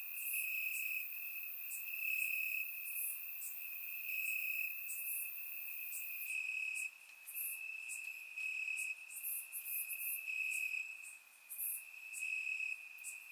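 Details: Crickets chirping in grass on a warm summer night, Bulgaria, surround microphone; a constant high trill persists, joined by brighter chirps that grow denser and more uneven in the later half as loudness dips and rises.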